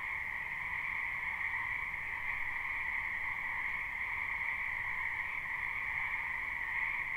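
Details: Wild frogs croaking in a wetland behind a house in spring, recorded live at night: a dense, continuous chorus forming a steady trilling drone, with two bright bands, one high and one lower, holding without pause throughout.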